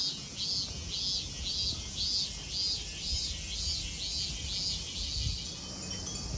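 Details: Japanese temple cicadas at Kozoji in Kisarazu, Chiba: a clear, regular series of shrill arched pulses, roughly two every second, rings over a constant high drone, with faint low rumbling.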